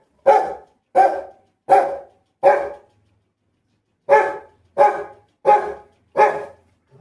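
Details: A Rottweiler, about to go for a walk, barks in deep, forceful single woofs: two bursts of four, spaced under a second apart.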